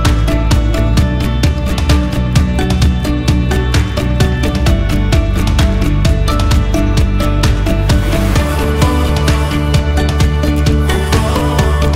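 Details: Loud, upbeat soundtrack music with a steady beat fills the whole stretch, and no animal voice comes through.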